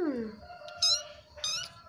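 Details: Orphaned kitten crying softly and sweetly while begging for food, a falling whine followed by two short high-pitched harmonic mews about half a second apart, in a quiet small room.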